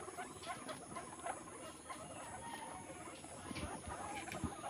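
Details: Baby guinea pig drinking milk from its mother, giving soft, rapid squeaks and small chirps repeated in quick bursts over a steady low background hum.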